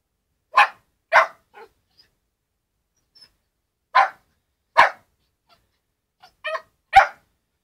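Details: A 13-week-old Shetland sheepdog puppy barks at his own reflection in a mirror: brief, bright, high barks spaced unevenly about half a second to a second apart, with a few softer yips between and quiet pauses.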